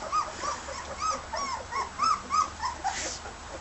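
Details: Eighteen-day-old red and white border collie puppies feeding on solid food; a steady run of short arched squeaky whimpers, roughly three per second, over faint background hiss.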